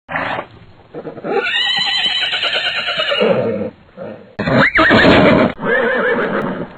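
A horse gives loud, quavering whinnies, shrill at first and then sliding down into breathy snorts.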